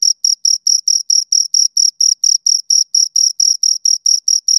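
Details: Two crickets chirping close up: high, pure pulses near the top of the range, about four or five short chirps every second in a steady, even rhythm, with a fainter upper harmonic; nothing else audible.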